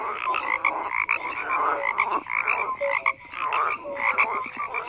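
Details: Frogs croaking together in a dense chorus: overlapping pulsed croaks and short tonal notes, mid to high pitched, rising and falling in bursts about every second, with no other clear sounds.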